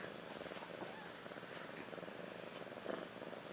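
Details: Ashley, a house cat about a year old, purrs after giving birth on March 30th 2013 to two female kittens, Maggie and Rose; a steady, soft, rapidly pulsing rumble continues throughout with faint background hiss.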